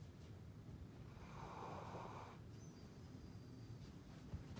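A sleeping Golden Retriever gives one soft, breathy snore over a steady low rumble.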